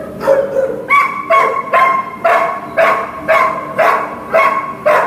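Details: Lily, a Greater Swiss Mountain Dog awaiting adoption, barks repeatedly at a regular pace, roughly two clear, ringing barks per second, against a low mechanical hum.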